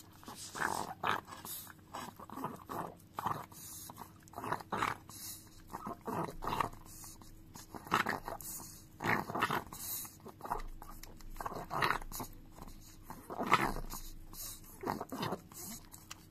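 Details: Chihuahua named Dio licking a frying pan indoors; wet smacking and lapping sounds come in irregular bursts, some quick runs of licks, with clanks of the pan and quiet pauses between.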